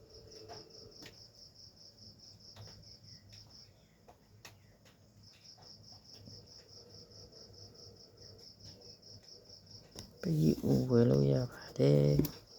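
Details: Cricket kept and reared from eggs indoors: a steady, fast-pulsed high trill runs through most of the recording over a low background hum, with loud voiced harmonic bursts near the end.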